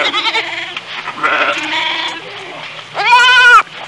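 A goat gives a loud, wavering, nasal bleat lasting about half a second, after softer broken bleats and murmuring in the background.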